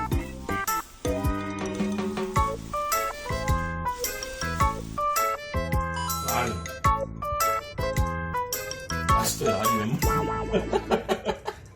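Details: Bright, bouncy music with bell-like notes plays throughout, with bits of speech mixed in and no animal calls.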